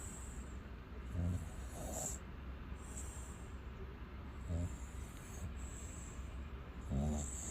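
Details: Sleeping American bully called Xiong Da, guarding its owner, snores aloud: soft low rasping breaths at about one, two, four and a half and seven seconds over a constant low background hum.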